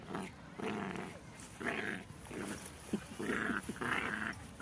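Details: Six-month-old Jack Russell Terrier puppy playing and biting with another dog, growling in about six rough, buzzy bursts of roughly half a second each, separated by short pauses, with faint human talk in the background.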